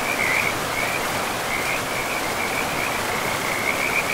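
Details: Chorus of frogs beside a river deep in a pristine forest; thin, high trilling notes flicker continuously, a little fainter here, beneath the broad steady rush of the river.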